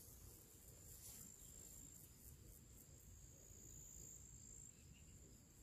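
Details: Summer pre-evening insect chorus in nature, crickets among other little creatures: continuous shrill high trill, lightly pulsed and wavering in strength, with soft low background noise throughout.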